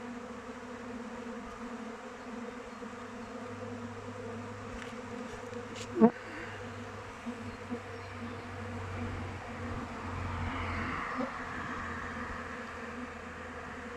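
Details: Kept honey bees flying around their hive in open weather: a steady, low, droning hum with even tones, a sharp tap near the middle, and a slight swell of brighter buzzing toward the end.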